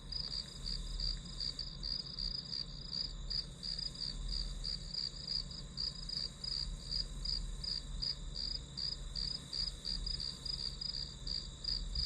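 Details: Grass insect sound for a focus session, a continuous series of high shrill chirps, about three each second, slightly uneven in spacing, with a persistent low background drone.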